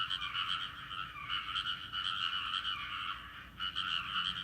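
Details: Frog chorus in a rice paddy, heard on a visit home: dense overlapping croaks form steady bands, pulsing continuously, with a brief dip near the end before the calls resume at full strength.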